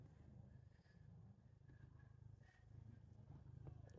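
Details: Domestic cat purring as its alarm clock to wake its owner indoors: a steady, low, pulsing rumble that runs without a break, with faint room noise above it.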